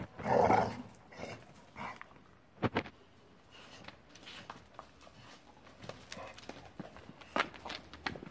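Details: Two female pit bull type bully dogs playing: a loud rough growling burst at the start, then scattered shorter grunts and huffs with scuffling and thumps between them, and faint Spanish speech nearby.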